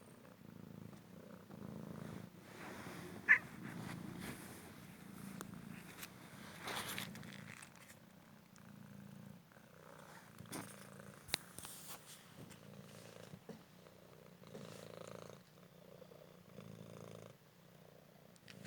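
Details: Young male Cymric cat, found injured on the street and now healed, purrs indoors while playing fetch with paper; low even purring runs throughout, broken by brief taps and rustling handling noises.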